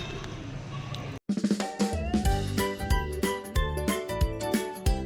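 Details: Upbeat music with drums, snare and bass beats and some speech after a brief silence; no animal sound is heard.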